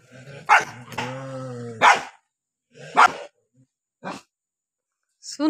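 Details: Two angry dogs: loud, abrupt barks alternate with a drawn-out, strained, whining growl, followed by spaced single barks and a brief rising yelp at the close.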